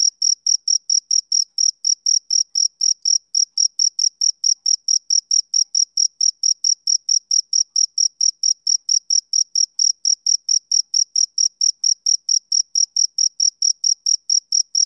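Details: Male cricket giving a long, unbroken run of short, high chirps at a steady pace of roughly three to four per second. Each pulse is bright and ringing, with nothing else audible.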